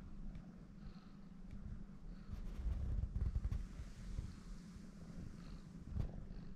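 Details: Female domestic cat born in Shimane Prefecture, Japan, kneading soft places such as the stomach like a masseuse. Steady low rumbling purr throughout, with a few soft clicks and rustles.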